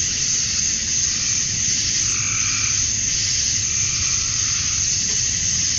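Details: Summer-night cicadas at dusk in Georgia, USA, males calling to attract females: a constant shrill hissing drone, with a brief lower burst of sound rising under it around the second and third seconds.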